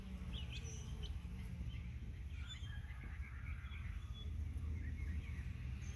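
A steady, low droning hum of honey bees at a hive, with faint bird chirps above.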